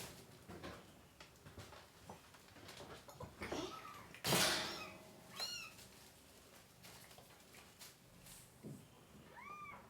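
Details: Kittens from a litter of three, crying with their mother cat while being dewormed indoors: a few soft, high, arched mews spaced seconds apart over faint room noise and scattered clicks.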